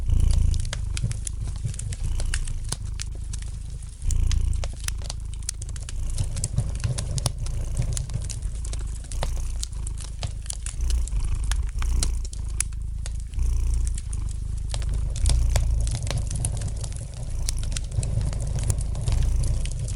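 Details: Domestic cat purring gently beside a fireplace, a steady low rumble swelling with each breath while sharp crackles and pops from the burning fire sound throughout, indoors.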